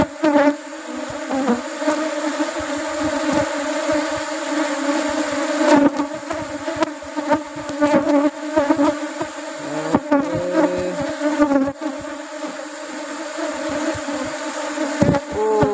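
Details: Asian honey bees (Apis cerana) at a honey harvest during rubber tree flowering season: a steady, low droning hum of many bees runs throughout, with sharp handling clicks and knocks and brief passing-bee whines near the end.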